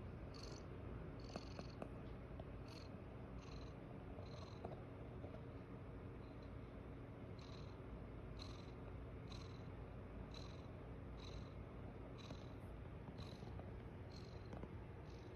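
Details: Domestic mother cat lying with her kittens in the morning, purring heavily: a deep, even, unbroken rumble for the whole stretch, while thin high chirping pulses repeat every second or so in the background.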